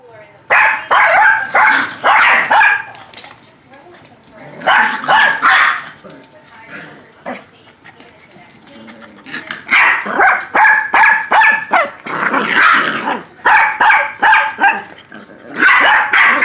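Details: Four-month-old silky terrier puppies barking in rapid yappy bursts, clusters of sharp high barks separated by short pauses, with a quieter stretch in the middle; human speech faintly in the background.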